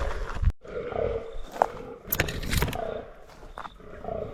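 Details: Fallow deer buck during the 2023 rut, with about 15 other bucks gathered at a scrape while bowhunting. Low, harmonic groans swell and fade between sharp clicks and rustles, over outdoor background noise.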